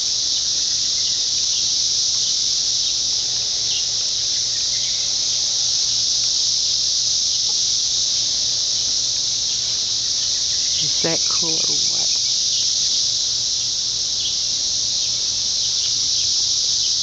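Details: Hundreds of 17-year periodical cicadas high up in backyard trees during an emergence merge into one steady, high, hissing drone that never lets up.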